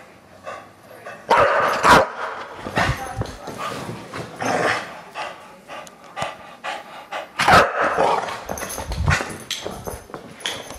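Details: A bulldog that hates the camera gives harsh, rasping growls and barks in loud bursts near the second and eighth seconds, with rougher grumbling between them.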